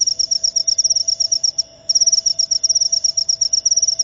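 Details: Cricket, known locally as jangkrik upo, giving a shrill, high-pitched pulsed chirping at a rapid, steady rate, with one brief pause just past halfway through the clip. Background otherwise quiet.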